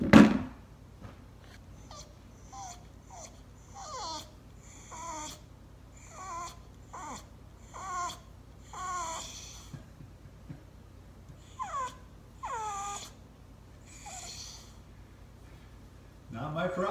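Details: Dozer the Bulldog crying, a series of short high whining whimpers, rising and falling, repeated every second or so indoors, with a brief human voice at the end.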